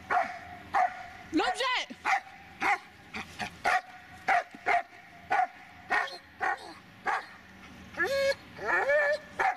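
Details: Barking Dobermann, Magmar Von Der Burgstätte, letting out a rapid series of about fifteen short barks at an uneven pace, with rising and falling tonal human voice sounds breaking in between the barks.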